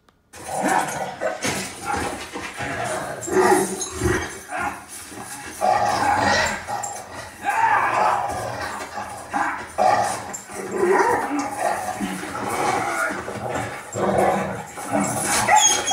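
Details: A Boston Terrier watching a movie reacts to a dog in the film with wavering, whining cries and short barks over film sound and music.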